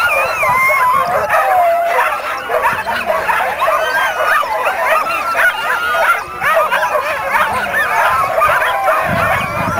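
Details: Excited yelping from a crowd of dogs at the Caribou Carnival races in 2007, rapid overlapping barks and squeals sustained for ten seconds, some human voices underneath.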